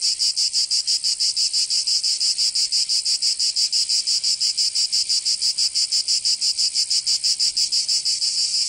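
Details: In a Provençal summer in southern France, cicadas keep up a loud, shrill, continuous buzz. It throbs in very even beats, roughly three per second, from start to finish.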